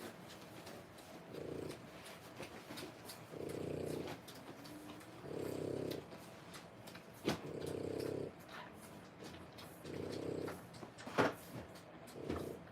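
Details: Low rasping snore-like breaths from 3-week-old French Bulldog puppies born 1/10/25, six soft bursts spaced about two seconds apart, with sharp clicks and brief bumps nearby.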